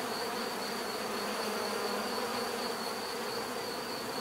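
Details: Bees buzzing in a steady, dense drone with a low hum band and a thin high whine running throughout, even and continuous with no pauses.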